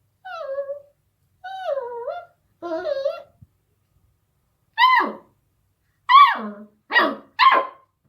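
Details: Beagle puppy, eight weeks old, barking at a deaf cat: three drawn-out, falling whiny yelps, then four sharp, loud barks coming faster, the last few about half a second apart.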